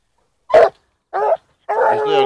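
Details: Gora, a 14-month-old female blue griffon hound, gives tongue while trailing wild boar: a sharp single bark, a short second bark, then a longer drawn-out, mid-pitched harmonic bay, with silent gaps between.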